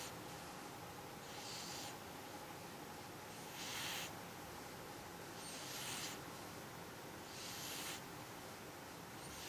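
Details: Sleeping cat snoring: gentle airy rasps that rise and fade about every two seconds in a steady breathing rhythm, nothing else audible.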